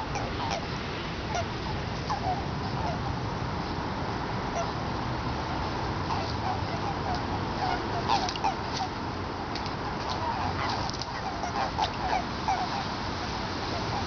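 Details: In a Tokyo pond in late February 2017, with egg masses present since early February, a chorus of Eastern Japanese common toads keeps up dense, overlapping clucking notes in irregular bursts over a constant noisy background.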